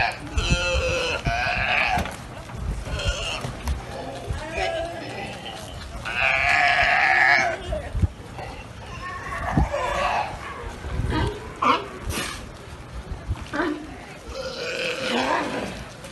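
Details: Galapagos sea lions, large males, smaller females and young, that have taken over a barge at the dock on Santa Cruz Island, Galapagos, trade loud, rough belching calls, each a harsh bleating burst about a second long.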